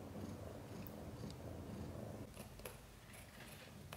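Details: Mother cat Chan in labor, giving birth to five kittens, some born backwards in a difficult delivery; a low, rough, pulsing purr runs steadily for two seconds, then softens, with a few faint clicks and rustles.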